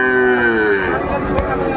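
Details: Sahiwal bull calf at a Faridpur cattle market, Bangladesh, 24 December 2024: one loud, sustained moo, rich in harmonics and slowly falling in pitch, fades out near the end, with a sharp click and a man speaking behind it.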